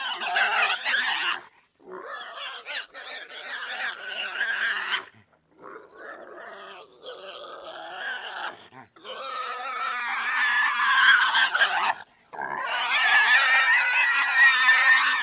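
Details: Pig giving long, harsh, noisy squeals in several sustained bursts separated by brief silences, strongest in the upper range and growing louder toward the end.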